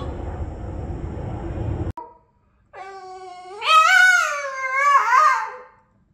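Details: Boston the Boston terrier singing: after a low rumbling noise and a brief silence, a rising, wavering howl swells and falls in two drawn-out phrases.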